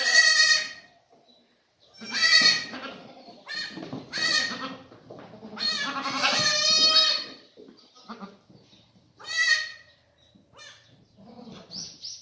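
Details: Black goats on a farm in Gimhae, South Korea, after moving into a new maternity pen, recorded 28 February 2019; loud, harmonic, nasal bleats in short bursts about every two seconds, some overlapping, with quiet gaps between.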